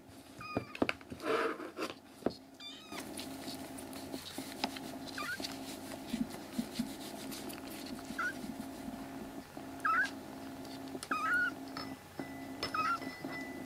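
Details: Rescued black kittens, three brothers in foster care and recovering, crying loudly indoors: short high rising mews, spaced several seconds apart and growing more frequent toward the end, over steady low room hum and some handling noise early on.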